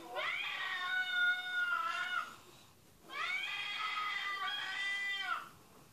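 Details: Cat meowing on a TV broadcast heard by a listening dog: two long, sustained meows of about two and a half seconds each, steady in pitch and dropping slightly at their ends, separated by a brief pause.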